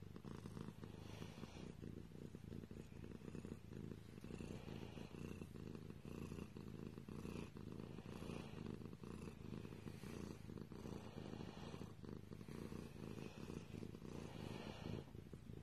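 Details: Cat purring without a break, a deep vibrating drone pulsing in a steady rhythm, with faint soft hiss in the background.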